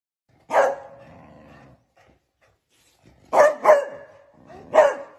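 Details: A beagle puppy playing with other beagle puppies and a baby gives one drawn-out yelp, then a quick run of sharp, high barks.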